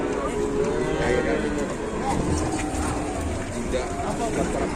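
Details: A cow that cannot stand at a market in Indonesia gives a low, drawn-out moo with a steady tone. It lasts about a second near the start. People talk over it, and vehicle noise runs throughout.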